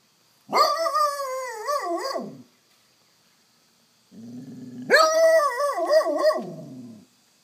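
A basset hound gives two long, wavering, moaning howl-like whines, begging for treats.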